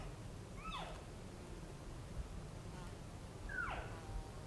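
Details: Colorado elk from a group called in by hunters: two descending squeaky mews, one early and one about three seconds later, each sliding downward, with breezy low noise beneath.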